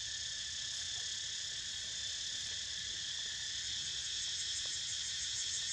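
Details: Cicadas in full chorus: a dense, unbroken, high-pitched buzzing drone that holds steady throughout, with a faint low rumble underneath.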